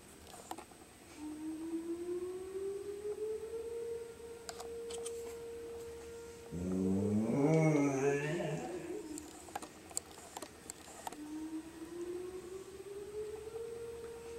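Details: Shep, a dog, howls along with a tornado siren: the siren's smooth rising wail holds steady, then a loud wavering, quavering howl takes over for about three seconds before the siren climbs again.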